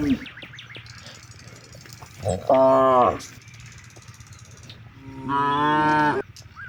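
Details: One of hundreds of cattle grazing in wide rice fields in the late afternoon, calling its companions to head home before dark: two drawn-out, rich harmonic moos, each under a second, separated by a long pause over a steady low hum.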